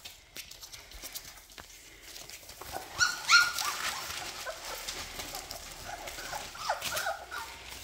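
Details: Labrador Retriever puppies, cuddled and being toilet trained, give a burst of high, quavering whimpers midway, then fainter squeaks trailing off over steady rustling and handling noise.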